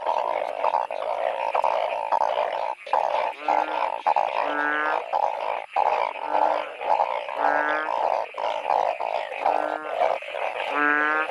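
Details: Many narrow-mouthed frogs call through heavy seasonal rain while being hunted and caught by torchlight. A thick wall of bleating croaks pulses steadily, broken by louder nasal honks every couple of seconds.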